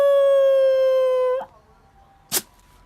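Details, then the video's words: A dog, roused from sleep, gives one long, flat, tonal howl lasting over a second that drops off abruptly, followed by quiet and a single sharp burst of noise. "sleep → howl → sneeze → sleep again"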